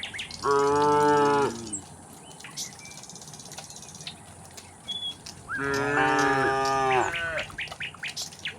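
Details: Tame cows heading down a hillside to their pen in a rural setting: two drawn-out harmonic moos about five seconds apart, the second a little longer, over a background of chirping birds.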